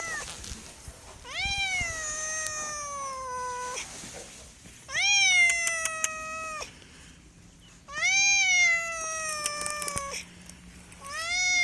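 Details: Domestic cat meowing indoors: four long, drawn-out meows, each opening high and sliding gently downward in pitch before cutting off, spaced roughly three seconds apart with quiet pauses between.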